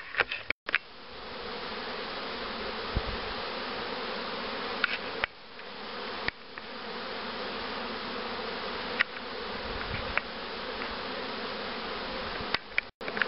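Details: Honey bees humming at hives prepared for queen rearing with the Cupularve system, including a starter hive accepting queen cells and a box of mother queens supplying brood; steady droning buzz with a layered harmonic hum, short dropouts and occasional clicks.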